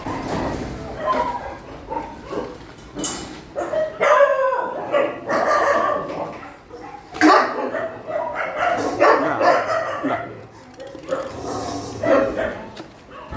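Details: Shelter dogs at night feeding time, a dense, overlapping chorus of yips and barks from several animals, rising and falling without a break, with some voices mixed in.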